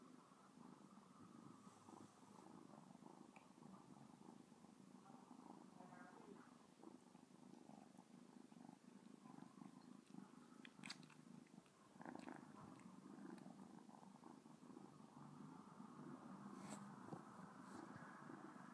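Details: Domestic cat purring steadily while licking a person's finger indoors; a continuous low rumbling hum with rhythmic pulses, a few faint clicks and small rustling noises over it.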